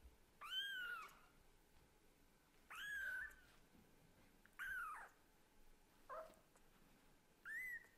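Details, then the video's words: Scottish Fold and British Shorthair kitten meowing to its mother cat, five high harmonic-rich meows spaced about two seconds apart, each rising then falling, quiet room between calls. "The kitten who talks hard to the mother cat is too cute..."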